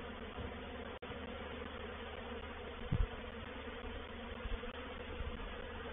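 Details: Reproductive swarm of honey bees moving into a bait hive at Painted Peacock Manor on 04/07/21; a steady low droning hum layered with soft thumps and a brief louder burst near the middle.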